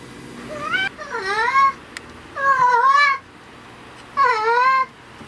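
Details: Tabby house cat indoors whose voice changes when dad is present or absent, giving four loud, wavering meows, some gruff and some sweet, rising then falling in pitch, with short silences between them.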